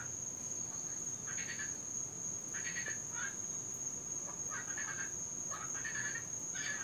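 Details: Cuban tree frogs calling at night in Florida, where they are invasive and loudest when it rains: short rasping, croaky bursts arriving in uneven groups every second or so, with a thin continuous high-pitched drone throughout.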